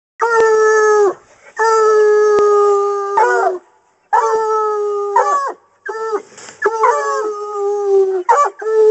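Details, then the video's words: Coonhounds in hunting training, baying at a caged raccoon: drawn-out, bawling howls with a strong harmonic stack, several long notes over a second each, then shorter breaking, choppy howls near the end. "Coon Hounds on a caged Coon"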